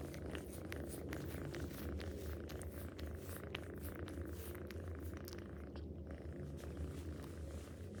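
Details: A cat purrs in a continuous low, steady rumble that holds without a break, with faint soft clicks and rustles above it.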